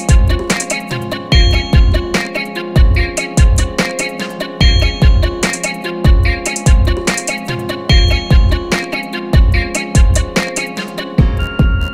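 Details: A steady, looping guitar-driven track with strong bass pulses about every half second carries on without any animal voice.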